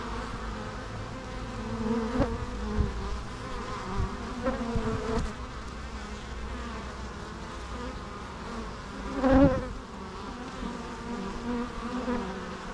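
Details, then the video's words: Many bees buzzing steadily together, a low droning hum with harmonic bands, swelling briefly as individual bees pass close around two, five and nine seconds; no other sounds. "natural bee sounds"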